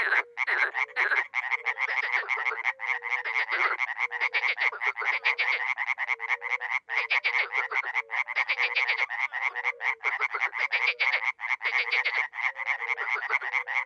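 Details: At a small pond in Miroslovesti, NE Romania, dozens of frogs and toads call in spring, a loud continuous cacophony of buzzing, rattling croaks, with low mellow hoots recurring in short series underneath.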